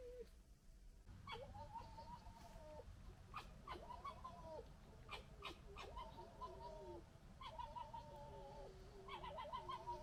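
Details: Red fox family from a local group, fighting and arguing: repeated harmonic, wavering cries and chattering squabbles with sharp clicks, several calls overlapping across the clip, steady low background rumble.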